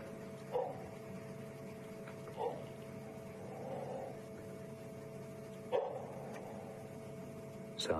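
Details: An alpha member of an African wild dog pack calls to its family in the evening at Djuma Game Reserve, South Africa, on 23 May 2015, giving short, mid-pitched yelps at irregular intervals over a steady hum.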